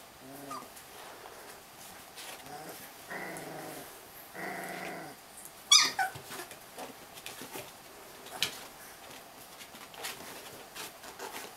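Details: Siberian Husky. Young Siberian Husky puppies make two clear, drawn-out whining cries, each about a second long, among softer grumbles. Sharp clicks and handling noises come in between.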